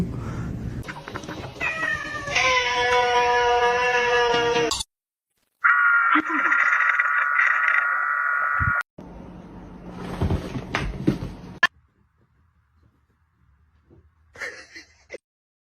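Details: Domestic cat heard in a funny-cats compilation: long, drawn-out harmonic meows, one held steady for about three seconds, broken by abrupt cuts and short silences, with human speech mixed in.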